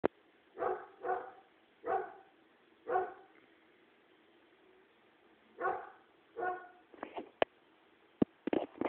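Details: Dog barking at a tree, recorded on an Android phone: sharp, mid-pitched barks, often in quick pairs, about seven in the first seven seconds, followed by loud clicks and knocks.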